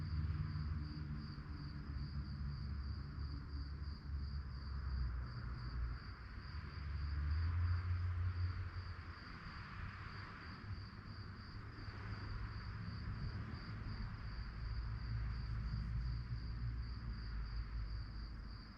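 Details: Night-time crickets keep up an even, rapid pulsed chirping high in pitch throughout, while a broad low rumble rises and falls underneath.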